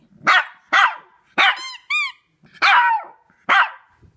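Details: Shih Tzu puppy, three months old and female, howls at a squeaky toy, her first time with this toy. Five hoarse, yappy howls in quick succession, with two high squeaks of the toy in the middle.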